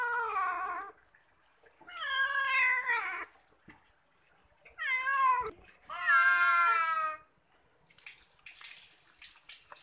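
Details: Cat being bathed meows four times in quick succession, the calls wavering and bending in pitch, each about a second long, with quiet gaps and faint splashing between.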